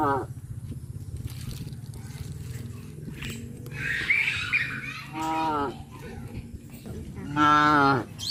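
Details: Cattle on a traditional village farm, near fish ponds on the way to grazing fields, give drawn-out, low, harmonic moos over a steady low rumble of background noise, with music playing.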